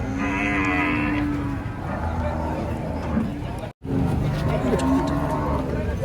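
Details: Cattle at the busy Karanggede cattle market, Indonesia: a long, steady low moo opens, followed later by further sustained lowing, all set against loud market bustle, voices and vehicle rumble.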